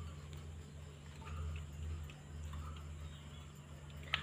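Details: Low steady hum with faint ticking clicks and a sharp tap near the end; no animal voice.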